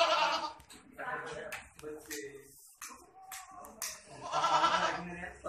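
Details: Boer goat on a goat development farm in Budhitola, Kailali, Nepal: loud wavering harmonic bleats open the recording, another follows near one second, and a long strong bleat comes near the end, with human voices and clicks in between.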